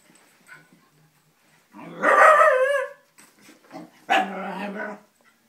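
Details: Wheaten Scottish terrier Abbey confronting a faux Scottie she seems to take for another dog: a drawn-out, wavering, tonal howl-like bark lasting about a second, a few soft sounds, then a second lower, steadier vocal burst.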